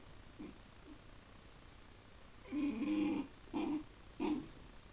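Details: Miniature bull terrier at home, staring at fish in a tank: a faint short sound, then three low, nasal, whining grumbles in close succession, the first the longest, over steady low hiss.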